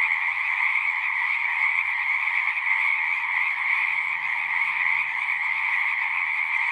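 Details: A continuous frog chorus: many singing frogs calling at once, forming an unbroken high buzzing trill layered over a lower tone, with a faint low rumble now and then beneath.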